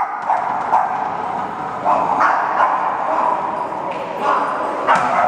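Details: Boston terriers at a dog meetup gathering in Chicago: short barks and yips pop out every half second to second over a steady murmur of voices and crowd noise.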